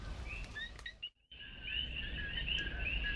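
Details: Coqui frog chorus at dusk in Puerto Rican jungle, about a thousand feet up, rain arriving: high whistled chirps briefly drop away to near silence, then resume as a thick continuous overlapping chorus.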